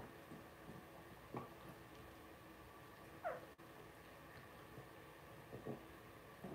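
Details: Two-week-old blenheim Cavalier King Charles Spaniel puppies, a litter of five born at New Year's, in an indoor puppy pen: one sharp, falling squeal stands out among faint soft whimpers and the rustle of bedding.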